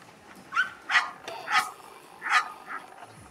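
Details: Sarplaninac dog, two and a half years old, during a courage test: five short, sharp barks at uneven intervals over about three seconds, with a quiet background.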